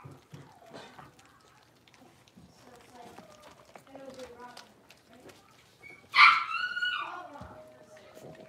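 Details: Blenheim Cavalier King Charles Spaniel puppies, a litter of five born at New Year's, playing in an indoor puppy pen; soft murmuring and shuffling, then one sharp, high, bright yelp sliding downward, with quiet voices in the background.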